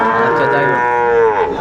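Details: Sahiwal cattle at a Tangail cattle market on 2 May 2024, where Sahiwal and Friesian bull calves are sold: one sustained, evenly pitched moo of about one and a half seconds, rich in harmonics, dipping slightly at the end.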